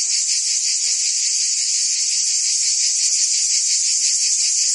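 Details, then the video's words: Cicadas in full summer song in Provence, France, making a continuous shrill whirring drone with light rhythmic pulsing, constant volume, and no birds, voices or wind. "Cicadas singing in France (Provence)"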